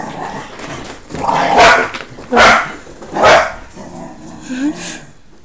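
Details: Cocker Spaniel puppy, newly brought home from a pet shop and settling in alongside his brother, gives three loud, sharp barks roughly a second apart, followed by a short thin whine-like tone, with a human voice exclaiming nearby indoors.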